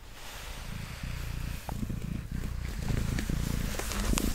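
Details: Mango, a pet cat, purring while being brushed after settling on a table; low, steady rumble with soft scratchy brush strokes layered over it, building slightly louder toward the end.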